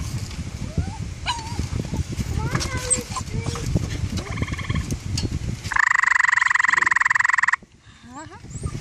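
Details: Gray treefrog (Hyla versicolor) on a deck in Vermont, a male answering a mating call played from a phone, gives a loud, rapidly pulsed musical trill to attract a mate.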